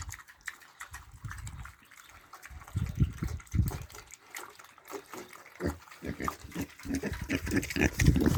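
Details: Piglets eating: low, muffled grunts and wet chewing and slurping noises come in irregular bursts, with a louder cluster near the end.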